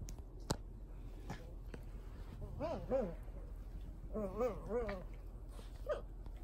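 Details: Cavalier King Charles Spaniel at home in Japan during its persistent nightly bedtime ritual, giving wavering, nasal whines in two bursts with rising and falling pitch, separated by short pauses, over soft indoor room noise and a few knocks.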